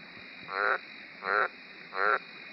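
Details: An Australian green tree frog (White's tree frog) gives deep, pulsed croaks, repeated about every three-quarters of a second.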